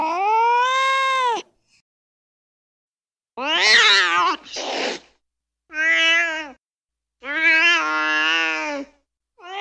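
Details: A cat produces an arched, rising-then-falling meow, then a cluster of strained, raspy meows in quick succession, each a second or less, the last one cut short.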